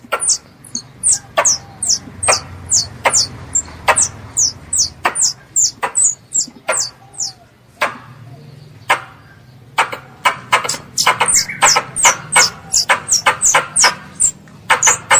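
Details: Pest squirrel calling its mother in a long, fast run of shrill falling chirps with clicky attacks, pausing briefly midway before resuming even faster, a soft low rumble underneath.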